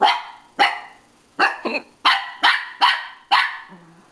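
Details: A pet dog barking at his own reflection in a mirror: eight sharp, harsh barks spaced roughly half a second apart, ending with a short low growl.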